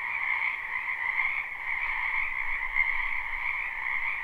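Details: Dense frog chorus in a spring wetland behind a house, recorded live without looping: a continuous trilling wall of croaks in two steady bands, the upper one brighter, with no other sounds.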